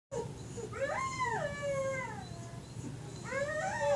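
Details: Indoor greyhound howling at another greyhound on TV: a wavering tonal howl rising and then sliding down, fading out, then a second howl begins rising near the end, over a low background hum.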